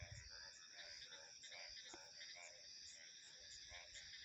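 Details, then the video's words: Frogs calling in a steady series of short pulsed croaks about twice a second, set against continuous high cricket and insect trills and soft low wind rumble. "Frog Sounds 🐸 Insects, Crickets and Wind Ambience"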